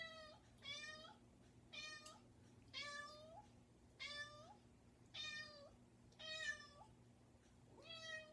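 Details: Persistent pet cat meowing at a bedroom door, about seven bright harmonic meows roughly every second, each ending in a slight upward bend, with a faint steady hum beneath.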